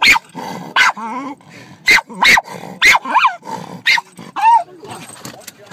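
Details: Dog Lyla barks at the birds, sounding short, punchy barks roughly every half second to second, mixed with brief whining, wavering tones and a faint voice in the background.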